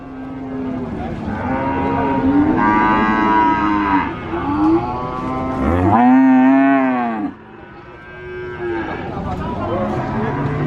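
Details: Cattle at the Sokaraja market, Purwokerto, Banyumas: several overlapping moos rise from the crowd noise, peaking in one loud, arched, strongly harmonic bellow, then fading into quieter background chatter.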